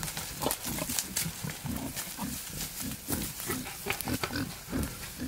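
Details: Male wild boar courting a sow in the wild: dense, rhythmic low grunting that comes several times a second, over steady rustling in the background.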